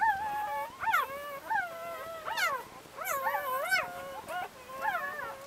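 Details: Newborn Labrador Retriever puppies, chocolate and white, cared for by their mother Leah in Brazil; softer, quieter whimpering with gently bending tones, a few pups squeaking in turn.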